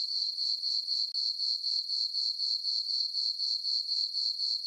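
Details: Summer-night crickets in a farm meadow beneath a full moon, giving a continuous shrill chirp that pulses evenly around four times a second, one brief dropout near the start, nothing else audible.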